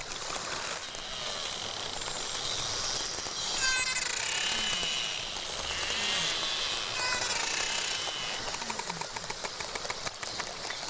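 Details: A narwhal (Monodon monoceros), an Arctic species, gives rapid trains of sharp clicks mixed with high, wavering whistles and pulsed squeals.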